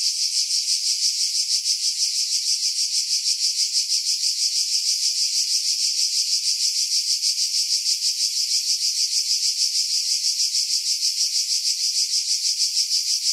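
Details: Cicadas singing in July 2018 among pine trees about 50 m above the sea at Pefkos Bay, Skiros Island, Greece; a dense, continuous high buzzing chorus with a fast rhythmic pulse of about three beats per second, filtered against wind.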